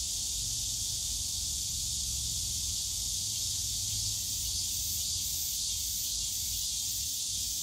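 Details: Unbroken high-pitched droning of many cicadas in a bamboo grove at Yongsan Family Park, summer, holding an even intensity throughout, over a quiet low murmur of the surrounding park.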